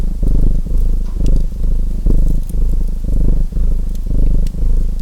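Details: Continuous deep purr of a domestic cat, pulsing in rounded surges about once a second as it breathes in and out, while a fireplace crackles with sharp little pops.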